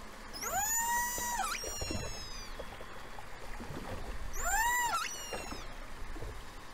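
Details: Killer whales in False Bay, South Africa, recorded acoustically on 26 January 2021: two long harmonic calls, each sweeping up, holding steady, then dropping, about three seconds apart, with scattered clicks and low water noise between them.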